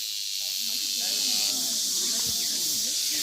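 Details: Male cicada singing at close range on a red-clay path in the Daegu Arboretum, South Korea, while walking backwards; a dense, continuous high-pitched hiss with steady loudness throughout, and soft speech underneath.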